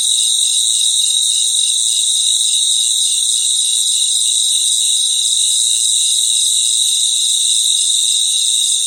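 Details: Natural night chorus of crickets in their environment: dense, shrill, continuous high trilling with faint rapid pulsing, two bright bands stacked one above the other, steady and unbroken throughout, no other sounds.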